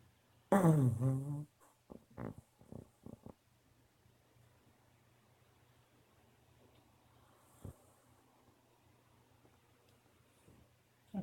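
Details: Sophie, a pet dog, snoring indoors: one loud, rough, falling snort with a low rumbling tone near the start, followed by several short, soft low puffs spread over a few seconds, then quiet room noise and a faint click at the end.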